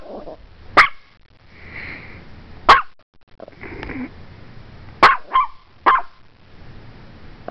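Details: Strudel the Morkie barks repeatedly at a camera: short sharp barks, some in quick pairs, interspersed with softer whines and breathy sounds, indoors with little background noise.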